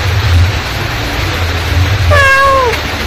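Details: Mother cat calling her kittens: one meow near the end, a wavering tone that slides downward, after two seconds of low rumbling background.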